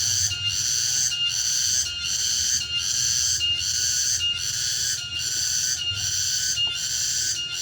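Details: Cicada singing in the late afternoon in a remote rural area: a loud, high buzzing drone pulsing steadily, a little more than one beat per second, with a faint low rumble underneath.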